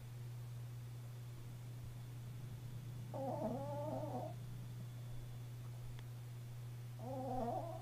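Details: Chihuahua asleep indoors, just starting to snore: two wavy, nasal, whistling breaths of about a second each, spaced roughly four seconds apart, over a steady low electrical hum.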